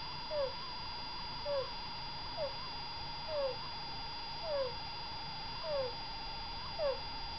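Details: Abnormal breathing of a degu asleep, described as a health problem rather than mere snoring. Brief high squeaks slide downward in time with each breath, roughly every second, over a constant droning hum.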